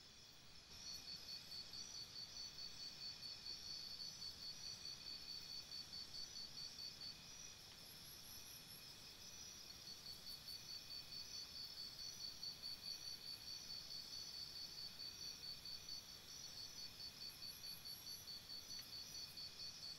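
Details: Crickets chirping at night by a campsite: a steady high pulsed trill repeated about twice a second, with a second fainter chorus of higher chirps in bursts and a continuous hiss beneath.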